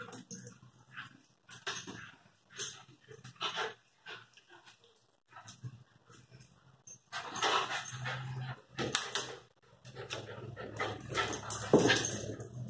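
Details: Terrier puppies, Lakeland and Airedale, pant and whimper in short scattered bursts, louder and denser in the second half.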